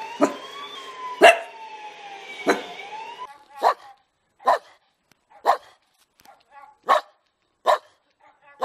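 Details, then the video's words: Dog barking in a lively compilation of barking dogs, first over a wailing siren-like tone, then alone with sharp single barks roughly every second, with short pauses between them. "Los mejores LADRIDOS DE PERROS"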